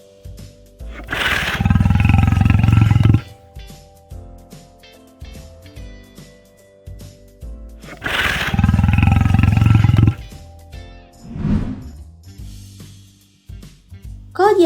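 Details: Lion roaring twice, each a loud, deep, rumbling roar of about two seconds with heavy low tones, followed by a shorter fading grunt, over background music.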